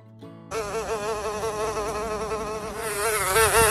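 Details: Housefly. A housefly buzzes continuously, its wingbeats making a nasal, rich drone that wobbles gently up and down in pitch. The hum swells a little louder toward the end as the fly comes closer.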